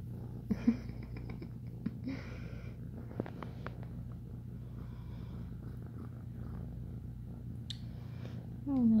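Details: An ex-feral foster kitten purrs while kneading, a steady, low, rumbling drone, while a person speaks softly nearby.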